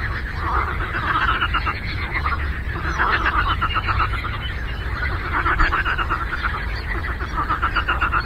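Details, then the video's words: Frog chorus on a lake: many frogs croak together in dense, overlapping trains of rapid pulses, a steady rattling din with swelling and fading bursts, over a constant low rumble. "Frog Croaking"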